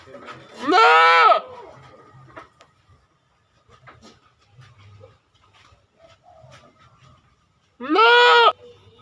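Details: Two loud, strained goat bleats, each a nasal, trembling cry lasting under a second, about seven seconds apart, with quiet background rustles and murmurs in the pause.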